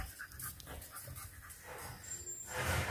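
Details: English Bulldog puppy of FCI stock, kept as a house pet in Nairobi, Kenya, during play over a hidden bone; soft rapid breathy panting fills most of the three seconds, with a woman's voice and household noise faintly in the background.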